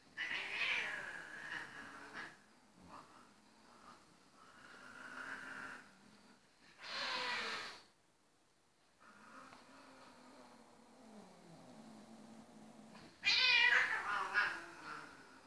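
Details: Two Ragdoll cats whose quiet grooming session turns into a noisy playfight: low, wavering growls mixed with sudden harsh hissing bursts and scuffling, separated by short silences.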